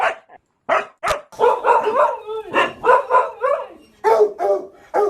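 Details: Domestic dog barking, one of ten breeds featured: a run of short, tonal barks and yelps with some howl-like pitch glides, coming in quick bursts of two or three after a brief silent opening.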